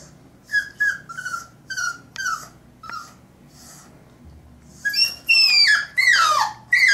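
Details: A French Bulldog puppy, three months old, battles the bath tub with a quick run of short, clipped yips. Then come several loud, high, squealing whines that slide downward, over a faint low hum.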